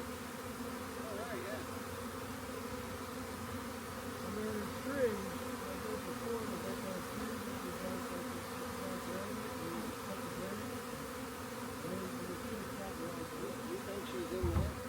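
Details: Swarming honey bees moving into a collecting box, a dense low hum with many wavering whines of individual bees flying past and a bump near the end.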